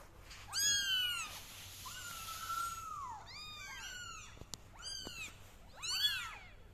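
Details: Several kittens crawling on a carpet meow loudly: high, arched calls with bright overtones, one long drawn-out wavering meow in the middle, then quick overlapping cries from more than one kitten, with a few soft clicks.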